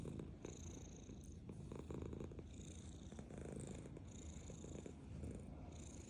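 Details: Black pet cat purring while eating food: a steady low rumbling purr throughout, with faint higher clicking and chewing-like ticks over it.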